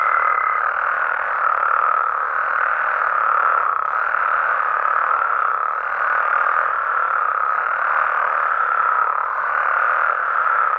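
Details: Frogs and toads of Mexico at night produce a dense, rolling croak chorus that rises and falls slightly without pause; a short high thin tone appears only at the opening.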